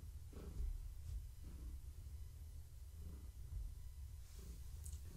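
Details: Low rumbling purr from Gaia, a long-haired tabby pregnant with kittens, enjoying pets and scratches during an evening check; soft breathy surges about once a second over a constant deep drone.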